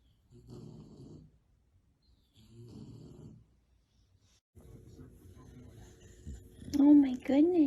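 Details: Tired bulldog asleep on a nap, snoring in soft, rattling bursts roughly every two seconds, the snores growing longer and steadier before a human voice breaks in at the end.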